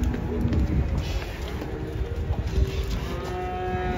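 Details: Banteng coming down off a truck, giving a deep, rumbling low moo that settles into a steadier held tone near the end, with heavy low background noise and faint voices.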